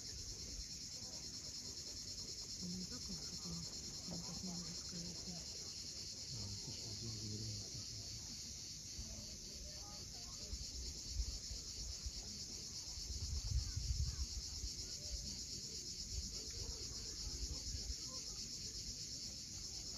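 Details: Cicadas at sunset on the steep coast of Cape Fiolent, Crimea: a steady, dense high-pitched buzzing drone fills the air without pause, with low rumbling surf from the waves beneath and a brief swell of wave noise near the end.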